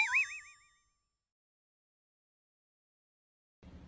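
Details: A cartoonish boing sound effect with a wobbling, bouncing pitch fades out within a second, followed by silence and a short burst of low noise at the end; no animal voice is heard.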